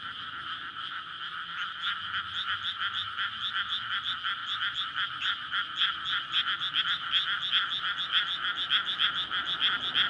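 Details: Frog chorus at night in May from a flooded rice paddy before planting, surrounded by housing, as frogs court to breed; dense overlapping rapid croaks, bright and rattling, pulsing continuously with faint low road rumble beneath, recorded on a linear PCM recorder.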